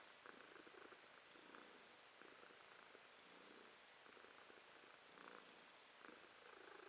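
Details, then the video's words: Romashka, a pet cat, purring in January 2023: rhythmic rumbling swells repeating roughly every second, each breath cycle marked by a brief rasp, steady and close throughout. "Кошка Ромашка урчит:)"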